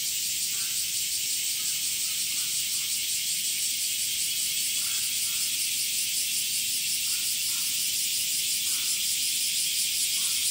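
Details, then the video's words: Continuous shrill buzzing of male cicadas in summer, made by flexing abdominal tymbals; the drone carries a fast regular pulsing throughout, with faint scattered chirps below. "THE SOUNDS OF CICADAS ( semi goe ) THE SUMMER INSECT"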